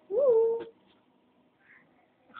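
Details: One of three pet cats named Spot, Noisy and Kahel gives a single short meow, rising then holding steady for about half a second in a quiet indoor room, followed by faint soft sounds.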